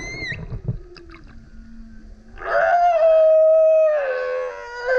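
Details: Male humpback whale in loud song beside a kayak: a brief rising whistle, soft low tones, then a long, strong howling moan held steady before dropping slightly and swelling again.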